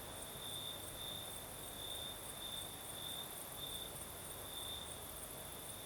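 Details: Night chorus of crickets in southern Crimea, night breeze blowing: one continuous high-pitched trill swelling in regular pulses, with a fainter, even higher ringing insect layer and airy breeze noise beneath.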